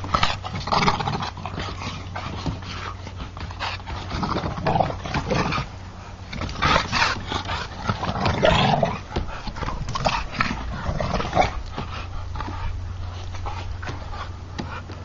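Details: American Bulldogs in a play fight give a rapid run of gruff, throaty bursts and huffing pants, rising and falling in uneven waves, with a constant low hum underneath.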